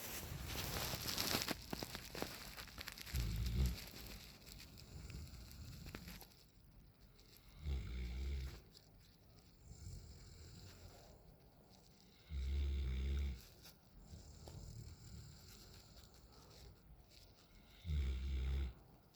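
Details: Nine-month-old Alaskan Malamute Raiden sleeping on the back patio: after some opening rustling, low rumbling snores come every four to five seconds, separated by quieter breathing.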